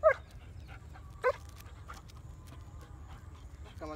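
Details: Heavy-bone German Shepherd puppies give two sharp, high yelps, one at the start and another just past a second, followed by fainter thin whines, over a steady low background hum.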